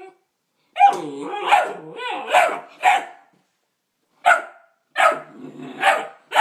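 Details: Neapolitan Mastiff x Pit Bull puppy barking at its own reflection in a mirror: a run of short, rough yipping barks with whiny, wavering overtones, a pause of over a second, then three more sharp barks.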